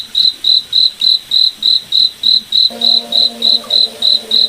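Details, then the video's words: Crickets chirping at night in a moonlit forest: steady high-pitched pulsed chirps, about three and a half per second, with a low droning tone joining midway through. "Cricket Night Forest Ambience"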